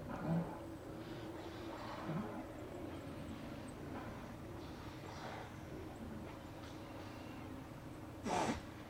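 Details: Steller sea lions at a beach on Hanson Island by Blackney Pass, Johnstone Strait, British Columbia, from a fixed remote camera on the afternoon of 18 September 2018. Rough, low roaring grunts come at intervals over a steady hum, with a louder broadband burst near the end.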